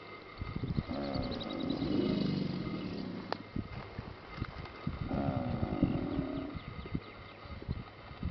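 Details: American alligators at La Chua trail, Paynes Prairie Preserve State Park, Gainesville, Florida, give low, throaty bellows in two long rumbling bursts with a brief pause, over a faint steady mechanical hum; finding: American alligator.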